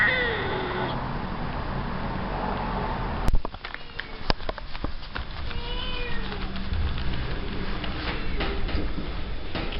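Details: Rescued cats being fed, with faint repeated meows and mewing, a few arching cries after a sharp knock midway, over steady low background rumble and clatter.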